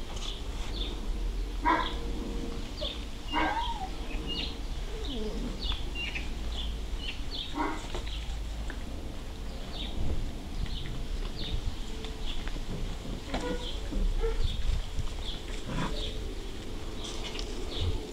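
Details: German Shorthaired Pointer puppies, six weeks old, playing; several brief high yips and barks scattered through the recording, some close together, over steady background birdsong and low outdoor rumble.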